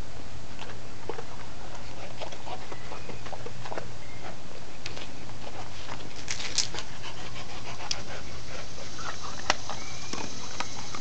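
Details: Cerberus, a Great Dane and St Bernard cross, chews a large dog pretzel indoors: irregular crunching clicks and snaps with soft panting between bites, over a steady low hum.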